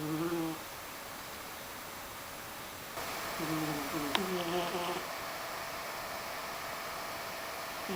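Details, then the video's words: Snores from Mysli, a cat asleep indoors: a short low hum at the start, then a longer run of two or three uneven, wavering snore sounds in the middle, with a small click and room hiss. "Snoring cat"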